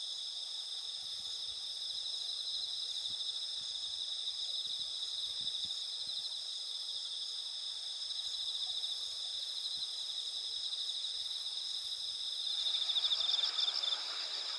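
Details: Autumn insects calling on a clear night lit by a nearly full moon over rice fields with pampas grass and red spider lilies in Asuka village, Japan, 20 September 2021; a steady shrill high trilling in stacked bands, with a louder pulsed trill joining near the end.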